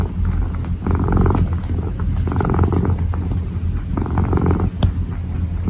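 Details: Close purring from a kneading kitten: low continuous drone with brief louder swells and faint ticking sounds from paws.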